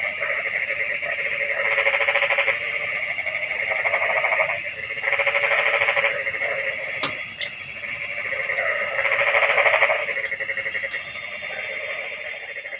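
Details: Frog chorus with three distinct bursts of fast, buzzy pulsed croaking, each about two seconds long, separated by softer calling, over a continuous high-pitched insect drone and an occasional click.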